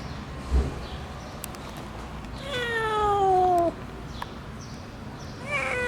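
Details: Stray kitten left to freeze in the snow for two days at -11°C, then rescued, utters a single long, slightly falling meow against a faint hiss of background noise.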